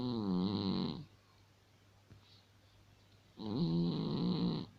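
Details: Asleep indoors, a cat snores in steady rhythm: a vibrating, hum-like breath of about a second, a pause of over two seconds, then another equally droning snore with a wobbling tone.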